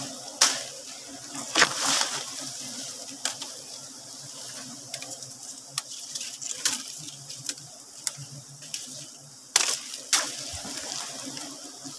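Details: Sharp clinks and splashy clatter break over a faint background rumble during a honey harvest, with no audible animal calls.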